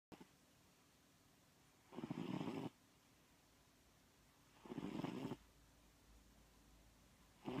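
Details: Pet cat snoring during a midday nap indoors: two broad, breathy snore bursts, each under a second long, about three seconds apart, with a third starting at the end, over quiet room hiss.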